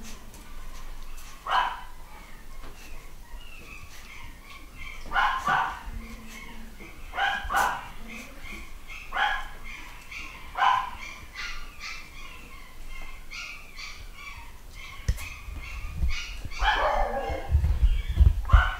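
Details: Nine-week-old Malshi puppies, a new litter of boys and girls at UK breeders, give short, high, irregular yips and barks repeated several times, with speech in the background.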